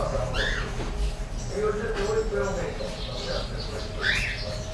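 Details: Two 33-day-old English bulldog puppies, an all-white male and a golden-and-white female, make high, squeaky whimpers that rise and fall with soft whining, over a low rumble and faint murmur.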